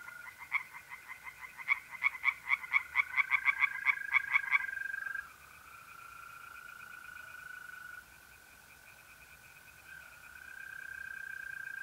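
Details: Mid-April night in north-east Italy, pond setting: singing tree frogs give a burst of fast, pulsed croaks speeding up over the first five seconds, then only the steady drawn-out trilling of mole crickets continues.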